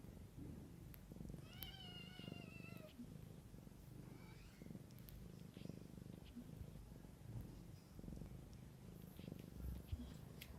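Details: Low, even purring from a mother cat with kittens in a natural setting, with one drawn-out wavering mew early on and a fainter cry shortly after, the purr carrying on to the end.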